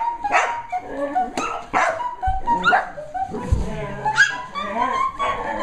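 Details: Nine Sheltie puppies reacting excitedly to the Popcorn Song, new to them; scattered sharp yaps and barks with high whining squeals, music notes and a human voice mixed in.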